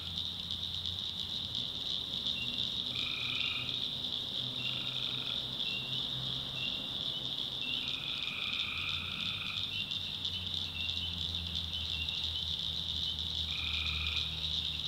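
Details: Night swamp in backwoods North Carolina, tree frogs calling. Repeated short nasal buzzes, some in quick pairs and one longer drawn-out call, rise over an unbroken high-pitched chorus, with soft low rumbling below.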